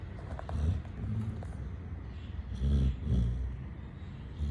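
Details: Chitti, a pet Labrador Retriever, asleep and snoring: low, rough rumbles with a double snort near the end, over a steady low hum.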